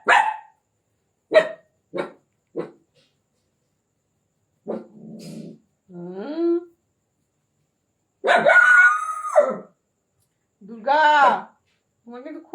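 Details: Indian desi puppy giving a few short, clipped yelps at the start, then longer drawn-out whining cries full of harmonics around eight to nine and eleven seconds, ending with brief squeaks.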